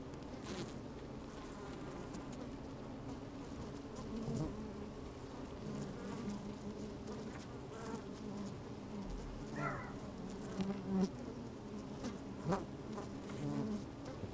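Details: Worker honey bees moving about inside an opened hive, recorded with a microphone lowered into the colony on a sunny, slightly windy day; continuous low droning hum with a few sharper buzzes and scratchy crawling taps, one brief rising buzz near ten seconds.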